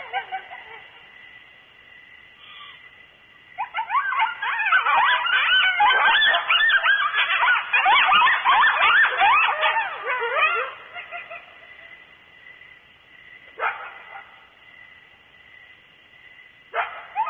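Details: Coyotes near the microphone at Starr Ranch, about 2:30 am on a July 2013 night; after quiet, a loud burst of overlapping yips and wavering howls lasts some seven seconds, followed by short, fainter yelps.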